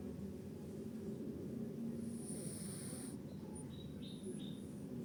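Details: Sleeping cat snoring: a soft, low, continuous rumbling breath that runs steadily throughout, with a thin high whine in the background for about a second and a few short faint chirps near the end.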